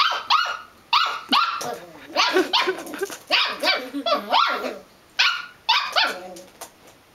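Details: Belgian Malinois puppy barking excitedly in quick bursts: high, shrill yaps repeated several times a second, some sliding upward, with a brief pause near the middle before another flurry of barks.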